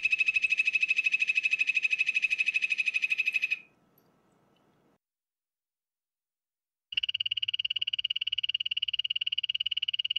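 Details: Poison dart frog calling: a rapid, even-pulsed buzzing trill, high and steady in pitch, runs for about three and a half seconds, falls silent for several seconds, then starts again just as loud.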